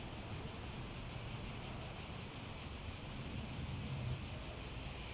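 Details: Cicadas keep up a shrill, even buzz with gentle pulsing, while a low background roar swells slightly toward the end.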